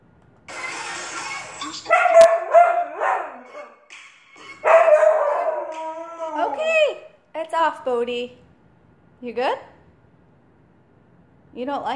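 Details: A husky gives wavering, yodelling howls that rise and fall in short bursts, singing along to music (Katy Perry's Dark Horse), with a person talking nearby.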